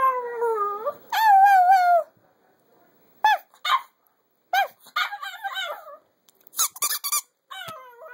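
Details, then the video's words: Chihuahua named Floyd singing: wavering howls in the first two seconds, then a string of short broken yelps and squeaky whines separated by pauses. "Floyd is the best Chihuahua singer in the world"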